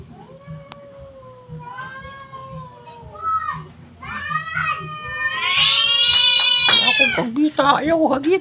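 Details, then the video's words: Cats fighting and yelling at each other: drawn-out wavering yowls that rise and fall, building into a loud, harsh, high screech with a steady low hum underneath. "cats yelling each other"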